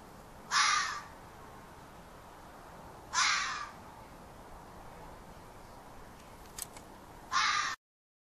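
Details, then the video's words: A young fox yelling from a yard, giving three raspy, abrupt screams spaced about two to three seconds apart, with faint clicking between the second and third cries. "Fox Calling in Yard"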